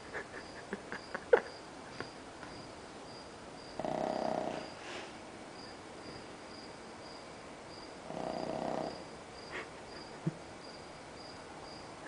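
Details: Pug asleep, passed out after a movie: two long raspy snores about four seconds apart, with a steady faint high hum and a few soft clicks in between.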